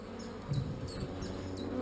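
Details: Gentle honey bees buzzing at the hive as a frame is lifted out, a low throbbing hum that swells midway, with a few soft high chirps overhead.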